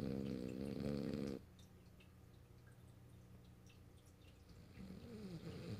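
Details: Sleeping French Bulldog Morio, held on a lap indoors in March 2012: one loud, buzzy snore at the start, a pause with faint breathing, then a new snore beginning near the end.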